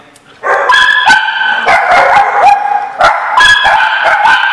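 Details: Dogs recorded on July 17, 2015, giving loud, harmonic, overlapping barks and yelps in quick succession, with sharp yips cutting through a near-continuous chorus after a brief quiet start.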